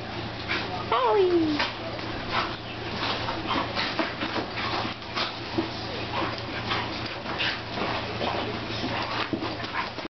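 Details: Pet dogs Navarre and Holly at play together in a living room; an early high whine slides downward, followed by steady huffing, mouthing and scuffling sounds, with a voice and music in the background.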